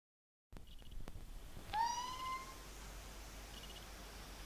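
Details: Kitten making a funny, weird noise indoors: one drawn-out meow, nearly a second long, with a rich stack of overtones that rises slightly and then levels off. A few soft clicks come just before it, and faint short high chirps repeat in the background.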